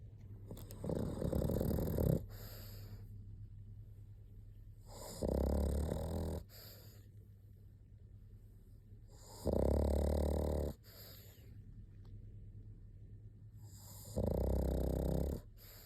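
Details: Pug snoring steadily: four long, low rasping snores, each about a second or more, spaced roughly four seconds apart, with quiet breathing in between.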